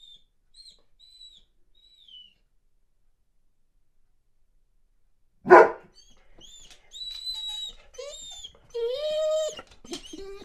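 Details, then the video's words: Weimaraner in boarding, missing home, with a smaller dog joining in. Quiet high whines open, then one loud bark, then a run of squealing, wavering whines that rise and fall indoors. "Веймаранер скулит и лает"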